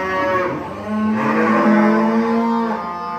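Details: A cow at a farm gives a full, level moo that lasts about three seconds and has a slight swell in the middle, with a faint trace of music behind it.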